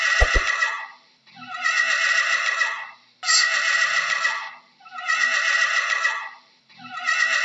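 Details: Horse neighing, four loud harsh bursts separated by short pauses, with a couple of faint clicks at the start.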